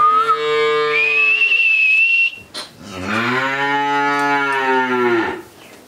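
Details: Friesian heifer calf, thirteen months old, on a farm in Pabna, Bangladesh, giving two long, deep, droning moos: the first steady and fading out, the second louder and rising then falling, with a brief whistled tone at the start.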